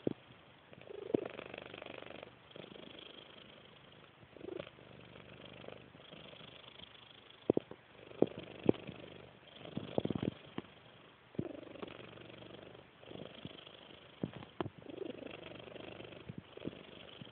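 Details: A domestic cat snoring: soft, rasping low breaths that swell and fade in a steady rhythm about every two seconds, with a few sharp clicks between breaths.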